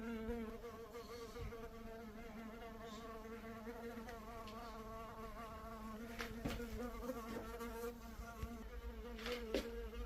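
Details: Steady droning of a honey bee: a harmonic hum that wobbles gently in pitch. Scattered sharp clicks and taps break in, most often after six seconds.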